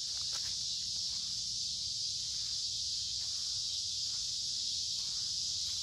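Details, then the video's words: Walking through woods along a creek in midsummer heat and humidity, noisy cicadas giving a steady, intense high buzz, while footsteps crunch faintly in the foreground. "Walking along a Creek with lots of Noisy Cicada Insects Singing in Summer"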